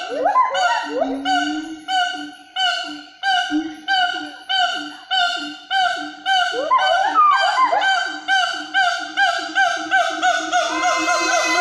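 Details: In the Meratus mountain forest along a hiking trail, a rarely seen gibbon, locally called 'wawa', calls in a series of clear, hooting whoops that rise in pitch and quicken toward the end.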